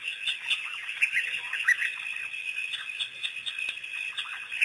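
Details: Pack of African wild dogs, released by researchers on April 5, 2008, making a first visit to Pete's Pond. Quick high-pitched twitters and squeaky yelps come in a loose, uneven series over a continuous shrill drone.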